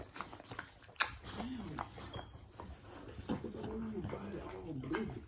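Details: Pit Bull or Bully dog giving birth to her first litter; soft, wavering whimpers and whines that rise and fall in short arcs, repeated through the second half, over clicking and rustling sounds indoors.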